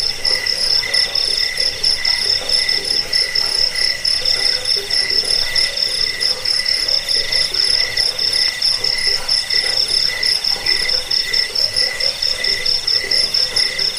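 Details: Jangkik cricket chirping, recording used to repel rats, help sleep and tutor birds; shrill tonal pulses stacked at several pitches repeat fast and without pause, forming a thick insect chorus.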